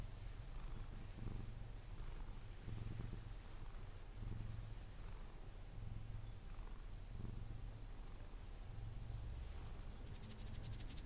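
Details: Sphynx cat named Pepe purring contentedly during cuddles until falling asleep; a deep, even rumble pulsing with each breath, about every one and a half seconds, with faint rustling toward the end.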